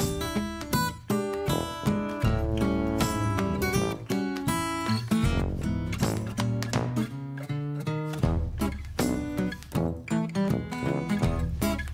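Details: Strummed acoustic guitar with bass fills the whole stretch in a lively rhythm.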